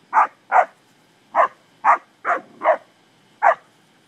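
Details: English springer spaniels playing with cattle give sharp, bright barks in an uneven series, seven in four seconds, with short pauses between pairs and a quiet background.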